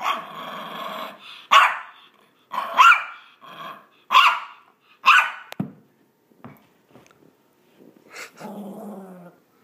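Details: A male Maltese dog gives rough, nasal growls and short yappy barks in uneven bursts, his playful 'vicious' noises while playing fetch.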